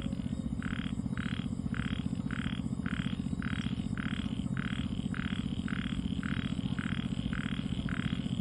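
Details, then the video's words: Small frog calling on a still night, short even croaks repeating steadily about twice a second, rather soft against a strong low droning hum. "con nhái .. tiếng nhái kêu buồn trong đêm vắng"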